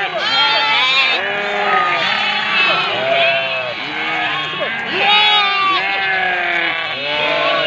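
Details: Sheep mothers calling for their young, a crowded chorus of loud, wavering bleats overlapping one another, pitch swelling and falling in each call, no quiet moments.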